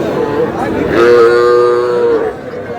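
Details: Calf or young cattle at a Tuesday livestock market in Comilla, Bangladesh, where small bulls and heifer calves are sold; one clear, steady, level moo of about a second and a half, with voices and chatter around it.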